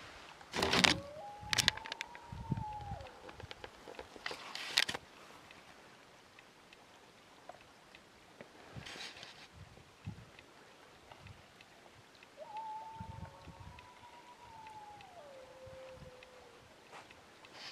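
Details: Wild dog howling from a ridge near a camp at 2am on a -3 degree July night. Two long, thin, distant howls hold steady then slide downward, separated by quiet, with sharp knocks and rustling close by early on.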